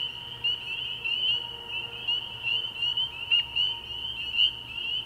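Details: Early-year night chorus of spring peepers at a frog pond: many high, piercing peeps overlapping into a continuous ringing drone, with a few louder individual notes standing out.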